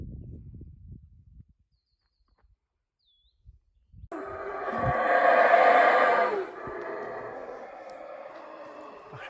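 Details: Howler monkey calling loudly from high in the canopy of a large forest in Mexico: after near silence, a deep, rasping roar begins abruptly, swells in loudness and holds for several seconds before easing off.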